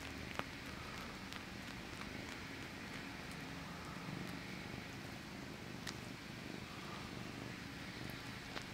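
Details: Male house cat purring quietly while sucking his paw; a faint, even rumble continues throughout, broken by scattered sharp clicks and smacking sounds.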